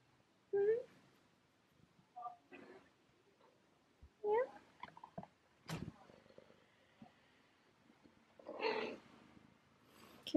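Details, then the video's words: Female domestic cat indoors in the morning, meowing to ask for breakfast after waiting for her owner to wake; two rising-falling meows several seconds apart among softer chirps, with a woman talking to her between calls. "Cat Meows To Ask For Food"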